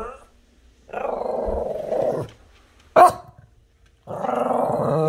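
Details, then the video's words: Friendly dog growling and grumbling at the neighbour's cat that does not like him: two long, loud, throaty growls with a short sharp bark-like burst between them, indoors. "Buddy talking to the cat."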